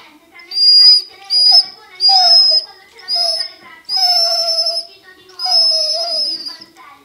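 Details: A Basset Hound cries in a series of drawn-out, wavering whines, each rising then sagging in pitch.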